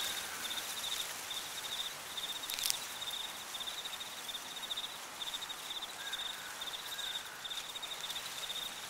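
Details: High, rapid cricket chirps pulse in regular bursts through an autumn cornfield. A faint lower whistle-like tone appears briefly twice, with a sharp rustle near the three-second mark over constant wind hiss.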